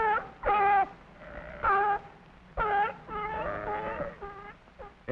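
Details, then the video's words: At the Bronx Zoo, a sea lion gives a run of loud, hoarse, honking barks, each short and falling slightly in pitch. "s is for sea lion let's listen to it bark"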